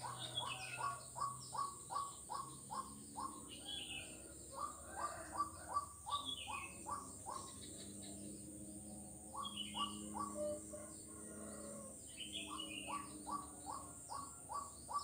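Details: Kuala Kapuas frog in Central Kalimantan, taped 4 November 2021 on Jalan Kolonel Sugiono: bursts of quick upswept knocking notes, several a second, separated by brief pauses, with higher descending whistles and a low background hum.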